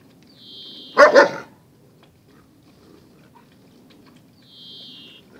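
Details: Dogs Zion and Tyson in their daily fierce fight: one sharp double bark, two quick loud bursts about a second in, with a high thin squeak before it and again near the end against a quiet background.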